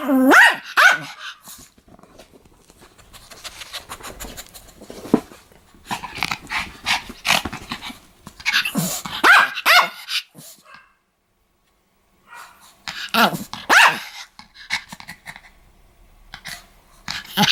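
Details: Pomeranian, described as attacking people, yapping fiercely in clustered bursts of shrill barks mixed with growly snarls, several silent gaps between flurries over about seventeen seconds.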